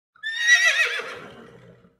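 A horse gives a high, quavering whinny that shakes and falls away in pitch.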